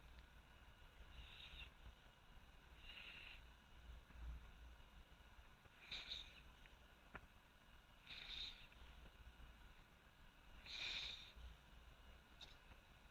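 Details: Sleeping Border Collie named Choko snoring, played back at double speed: soft breathy snore bursts recur every two to three seconds, some louder than others, over a quiet steady hiss.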